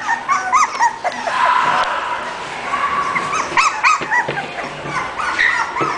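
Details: English bulldog from a breeder of puppies giving rapid high whimpers and yips, short rising and falling squeaky notes repeated several times a second, with some overlapping and a steady background hiss.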